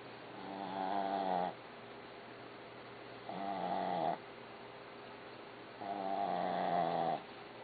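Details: A dog named Barbie snoring: three drawn-out, rumbling, harmonic snores, each about a second and a half long, coming roughly every two and a half seconds with quiet breathing gaps between.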